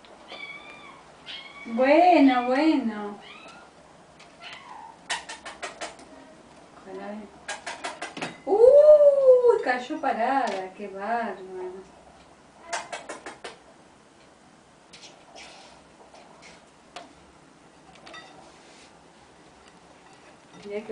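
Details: Three kittens playing on an ironing board indoors: loud wavering meows rising and falling in pitch at about two and nine seconds, with rattling clicks from the board, softer mews later, and people talking.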